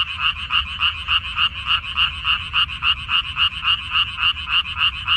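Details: Frogs calling from a Korean water-dropwort field in May 2021, a dense chorus of rapid, regular croaks repeating about three and a half times per second, each with two bright bands, over a faint low rumble.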